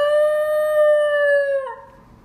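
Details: A 7-month-old black Basenji pup gives its first voluntary yodel on 19 August 2018, a long, steady, tonal yodel that wavers slightly and drops off at the end.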